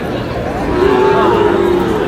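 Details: Sahiwal bull calf at a busy cattle market (haat) in Chattogram, Bangladesh, on 1 April: one drawn-out, even, mid-pitched moo lasting about a second and a half, under constant crowd chatter and a man's shouting voice.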